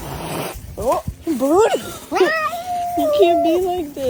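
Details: Domestic cat in a humorous compilation, uttering short rising-and-falling meows in quick succession that end in a longer, wavering drawn-out cry, with human speech alongside.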